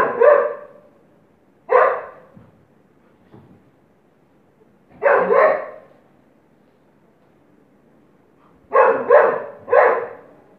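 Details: Golden Retriever in India, filmed while moving about playfully, giving short, loud, rough barks: one, another after two seconds, a quick double bark near five seconds, then three rapid barks toward the end, with quiet gaps between.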